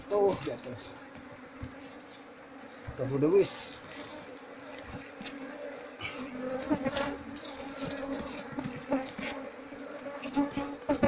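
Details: A queenless Asian honey bee colony, its comb full of honey and without larvae. A steady low hum runs throughout beneath scattered handling knocks and brief voices.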